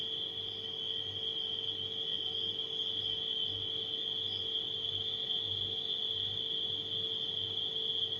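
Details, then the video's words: Unbroken high trilling from many night crickets, with a couple of short sharper chirps, sits above the even, low mechanical hum of a refrigerator. "Crickets & Refrigerator Humming Sound"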